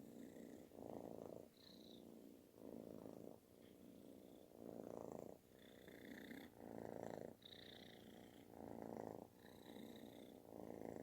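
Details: Affectionate kitten giving a loud, snore-like purr; rumbling bursts swell and fade in a slow in-and-out rhythm, roughly one breath per second, with faint whistly overtones between them.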